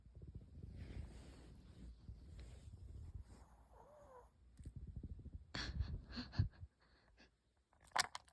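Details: Sleeping dog snoring indoors: low, breathy rumbling pulses repeat steadily for the first few seconds. A brief thin whine follows, then a few louder snorts and rustles.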